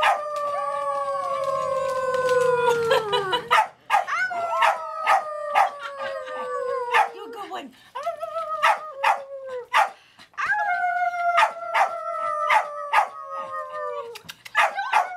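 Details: Baby Ella howls with Candy and Tami at a farm: several long, gently falling howls in overlapping voices, broken by frequent sharp yips and barks, with voices faintly heard at the start.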